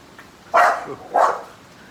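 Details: American Bully giving a pair of forceful barks roughly 0.6 seconds apart, the first longer and rougher, while a bubble drifts toward it on the wind and it gets angry when it cannot catch one; faint hiss.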